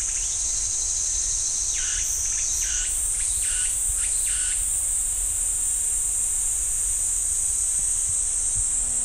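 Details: Pine forest at Ssanggyesa temple in Jirisan National Park, with cicadas producing a continuous shrill buzz that steps up in pitch near the third second. Four short, falling notes repeat in the first half before fading out.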